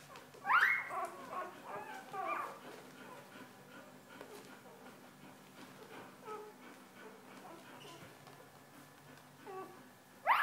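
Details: Newborn Golden Retriever puppies on their fourth day after birth: sharp, rising high squeals open and close the recording, with soft scattered whimpers and a steady low hum between.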